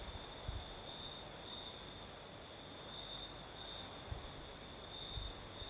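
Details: Night chorus of crickets in southern Crimea during a night breeze, giving an unbroken high ringing trill, while low gusts and a few soft thumps rise from the background.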